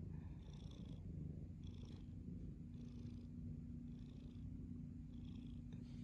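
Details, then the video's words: Domestic cat purring: a continuous deep, rumbling vibration throughout, with a soft breathy swell roughly every second as the cat breathes in and out. "The Sound of Purrs"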